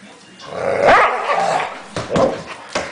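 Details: Dog angry at a blanket, growling in a drawn-out rough rumble that swells near the one-second mark, followed by short sharp bursts of barking-like yips toward the end.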